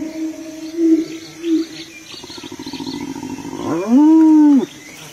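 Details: Hyenas fighting, with short lower whines, a buzzy pulsed stretch, then a loud rising-and-falling whooping call lasting under a second.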